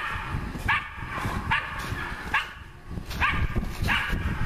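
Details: Nora, a dog at work on wild boar, gives five sharp, ringing barks spaced under a second apart, with low background rumble between them.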